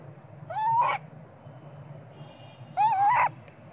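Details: A small young monkey crying and screaming for its mother to nurse it, perhaps because it is hungry. Two short, rising, whining cries with harmonics, about two seconds apart, over a steady low hum.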